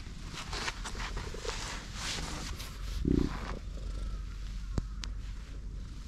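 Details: Affectionate stray tortoiseshell cat in a park, jumping onto a lap on a bench; a low continuous rumbling purr with a short louder burst midway and light rustling.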